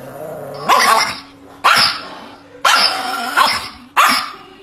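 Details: Chihuahua barking in a home setting, four sharp loud barks spaced about a second apart, each a broad harsh burst with a brief rising onset, steady low hum between barks.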